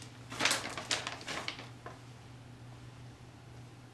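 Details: A quick run of clattering clicks and scrapes, like small objects knocked about indoors, over a low steady hum that carries on after the noises stop.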